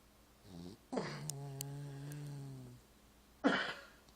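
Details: Sleeping indoors while a Christmas film plays, the pet dog Marvey lets out a sustained low, droning snore nearly two seconds long, followed by a sharp rough breath.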